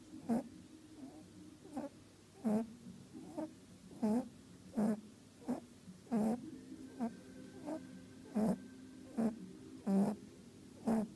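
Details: Female pet rabbit at a rabbit orphanage, sleeping after a long day: soft, rhythmic snoring snorts repeated roughly every second, each a short nasal puff, in a quiet room with a faint steady background hum.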